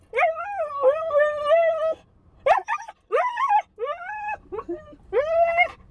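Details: Husky puppy Bandit, alone in a parked car during a few minutes at the bank, sings in long wavering howl-like whines broken by short yelps, pitch sliding up and down, with brief silent gaps between phrases.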